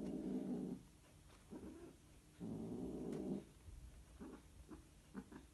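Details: Scottish Fold cat; mating call; mating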